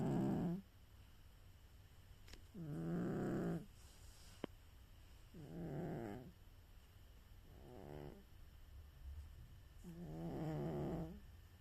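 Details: Pet cat snoring during a nap indoors: soft rhythmic breaths, each a buzzy, harmonic-rich rasp lasting about a second, recurring every two to three seconds with quiet pauses between.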